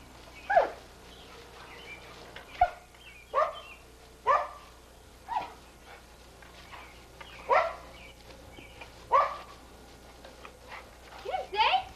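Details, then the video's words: Pit Bull named Sadie, filmed in 1983, excitedly snapping at bubbles; sharp, high yips and barks come singly every second or so, with some closer together near the end, over a quiet background. "Sadie The Pit Bull Goes Crazy For Bubbles"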